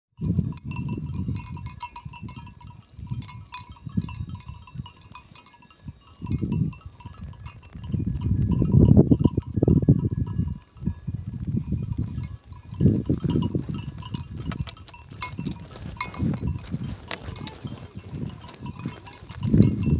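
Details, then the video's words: Kangal sheep and lambs from Kayseri, Turkey, in a flock: repeated low, rough bleats overlapping one another, with a steady tone near one kilohertz throughout and faint bell-like ringing. "#koyun #kuzu #kangalkoyunu"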